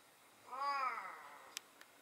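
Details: Talkative hachiware-patterned house cat utters a single drawn-out meow, rich in harmonics and gently falling in pitch, followed by two brief sharp clicks in an otherwise quiet room.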